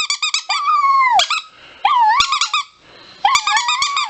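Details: Chihuahua alternating sliding, wavering howls with short clusters of sharp high yips, three vocal bouts separated by brief pauses.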